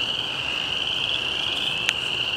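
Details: A chorus of many spring peepers (Pseudacris crucifer) at a small pond in spring makes a steady, shrill, high-pitched ringing of overlapping peeps; the frogs fall silent when a person walks nearby, sensing a potential threat.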